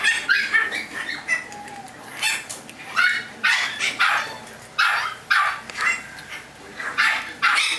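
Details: Chihuahua puppies yipping in a rapid, high-pitched string of short sharp bursts, several each second with brief pauses, overlapping at times as if more than one pup is calling, with no other clear sounds.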